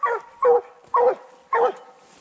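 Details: Four evenly spaced, full-throated barks, roughly one every half second, come from young Redbone Coonhounds working a raccoon during a 2020 night coon hunt. The male is on his second season and the female on her first.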